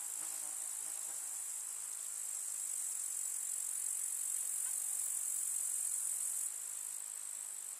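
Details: Summer meadow grasshoppers among field flowers in a rural setting keep up a dense, unbroken high-pitched buzzing trill, with a faint low hum in the first second and a brief drop near the end.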